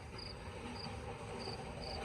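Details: Crickets chirping at night in a city square in Tavira, Portugal: four short, high, bright chirps spaced roughly half a second apart, over a steady low rumble of town background noise.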